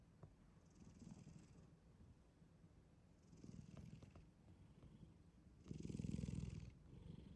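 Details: Sound-asleep black cat Shin-chan breathing in a soft low rumble, rising to one loud, coarse snore near the end.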